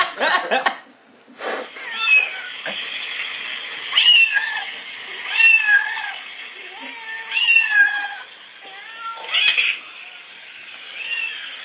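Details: Pet cat Oscar, agitated by recorded meowing, gives a run of rising-and-falling meows roughly every two seconds after some sharp knocks at the start, with hiss throughout.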